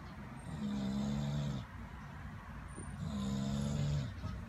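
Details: A male English Bulldog, awake, gives two long, rumbling snore-like breaths, each lasting over a second. He keeps snoring even after noticing he is being filmed.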